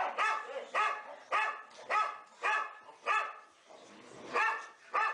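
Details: Indoors, four boxer dogs play together and bark. The sharp, full barks repeat roughly every half second, then pause briefly near the end before two more barks.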